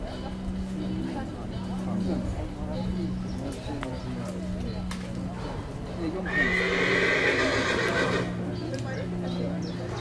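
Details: Colt foal of the Dinken breeding, sired by Cormint out of a Casall dam, born 19 May, shown at a foal presentation as number 105; a brief high whinny near the end over a steady low hum and background noise.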